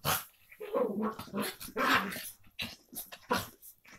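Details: Two Miniature Pinscher half sisters, Mercie and Maddie, at play: rough, throaty growls and snarling bursts rise and fall in quick runs, with short gaps between scuffles, indoors.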